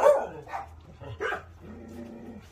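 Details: Dog barking indoors: three short, broad yelping bursts about half a second apart, the first loudest, with a low steady hum beneath and a quiet tonal murmur near the end.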